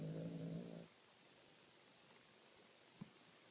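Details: Short, low, droning snore from a dog with a faint buzzing tone, under a second long, then quiet apart from a single soft tap.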